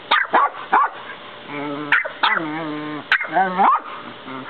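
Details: A West Highland white terrier puppy and a 10-year-old Westie trade sharp, high yapping barks in quick bursts, with brief drawn-out whiny sounds between, each seemingly trying to get the last bark.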